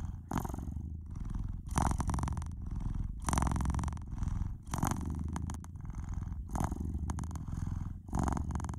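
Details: House cat's loud, continuous low purr rising and falling with each breath, about seven surges across the stretch, recorded up close.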